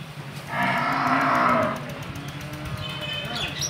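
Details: Dairy cow on a farm in Bangladesh, one of two cows being sold to a buyer from Patuakhali; a single drawn-out, low, harmonic moo of about a second, followed by people calling to shut the gate.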